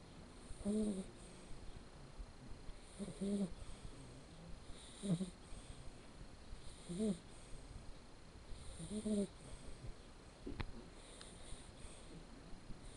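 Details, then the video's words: Asleep, the male red Shar Pei pup Blacke EJ Terani, born 7 October 2013, snores in an even rhythm. Short nasal rumbles with a wheezy edge come roughly every two seconds, six in all, over low background hiss. "Filhote de Sharpei Roncando"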